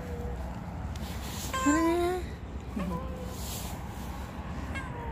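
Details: Ruby, a mischievous stray cat, gives one clear, slightly rising meow lasting about half a second, then a shorter, softer mew, over a steady low rumble of outdoor background noise.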